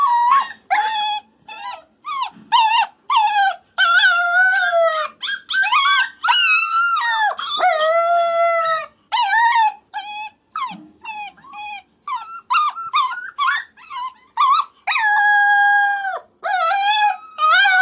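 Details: Young dog howling almost without break: long, loud, wavering high cries with many overtones, mixed with shorter yips, and a long steady howl near the end.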